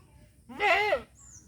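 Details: Castrated male goat, one of three kept in Mahilara village, Gournadi, Barisal, Bangladesh, gives a single half-second wavering bleat with rich stacked harmonics, rising then falling; a quiet room before and after, with faint high-pitched background sounds.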